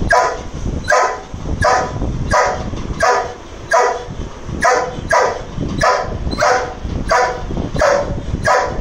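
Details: An agitated Dobermann directs rough, forceful barks at a lizard, a steady volley of single woofs repeated around every three quarters of a second for nearly nine seconds.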